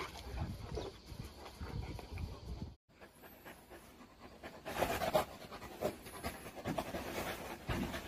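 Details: Newfoundland, the water rescue breed known as the Viking dog, panting in quick rhythmic breathy bursts, broken by a brief silent gap near the three-second mark, then resuming louder with some handling noise.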